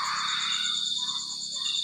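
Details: Steady high-pitched cricket trilling, a fast pulsing buzz that never pauses, partly masked by a broad hiss and low murmur beneath it.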